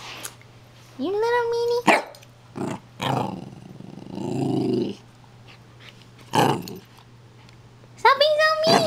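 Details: Pembroke Welsh Corgi puppy indoors with a brief rising whine, sharp knocks, a rough low growl of about two seconds, then another high rising whine at the close.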